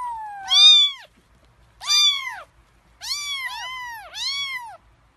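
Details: Kittens about three weeks old, hungry before a meal, cry out in rising-then-falling meows, one drawn out at the start, then pairs overlapping as more than one kitten calls.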